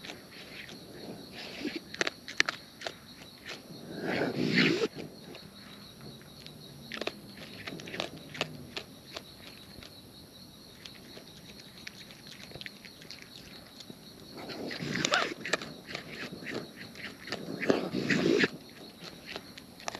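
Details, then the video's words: Wild raccoons eating close up, their natural chewing making rapid, irregular crunchy clicks with two louder, denser bursts of munching partway through and near the end, against a quiet outdoor background. "Wild Raccoons & ASMR Chewing Sounds"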